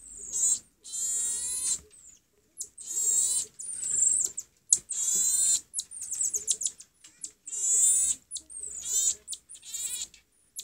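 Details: Common marmoset babies, a set of triplets and a set of twins aged two weeks and 26 days, just separated from their mother. They make long, piercing, quavering calls with stacked overtones, broken by short squeaky whistles and brief pauses.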